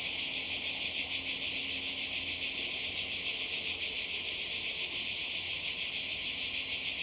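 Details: High, sizzling cicada chorus recorded on the Croatian coast in summer 2020. The buzzing is steady and continuous with a subtle rapid pulsing texture, and no other clear sounds stand out.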